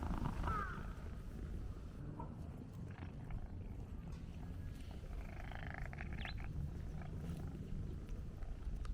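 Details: Black-and-white hachiware stray cat purring as it is stroked continuously during a walk, recorded with a DJI Pocket 2; deep, even rumbling fills the clip, opening with a brief higher cry and a few faint clicks later.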